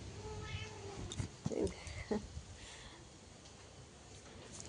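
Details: A cat sitting and gazing outside gives a drawn-out tonal meow in the first second, followed by a few short sharper sounds, while a person talks to it in Bengali.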